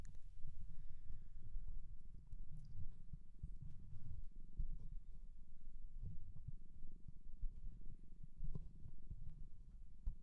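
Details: Shelter cat adopted in Japan, recorded close up indoors: a soft, steady low rumbling purr running throughout, with faint clicks and light rustling over it.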